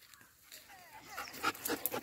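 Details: German shepherd dog tracking outdoors in the wild around Sundernagar, Mandi, Himachal Pradesh; a few thin, high whining tones that bend up and down, then a man's voice urging it on.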